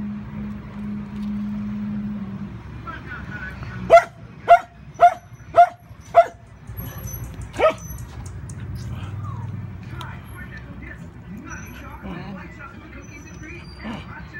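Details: Steffen, a four-month-old male puppy, tussling with a big bone: a burst of five quick sharp barks about half a second apart, one more bark after a pause, then quieter yips and murmuring voices.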